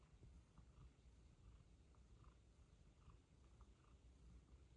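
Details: Pet cat from the pair Pizza and Luna giving a quiet, continuous low purr, its soft rumble swelling and fading with each breath, with faint light ticks over the top.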